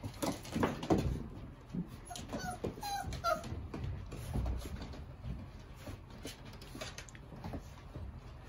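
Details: Puppies of a dog named Tasha, five weeks old, giving thin, high whimpers and short yips, a brief cluster of wavering squeaks in the middle, over steady shuffling and pattering movement noise.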